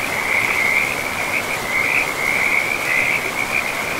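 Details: Frogs calling beside a river in a pristine, moss-covered forest: an unbroken high trilling chorus that swells and dips in short waves, set over a steady rushing of river water.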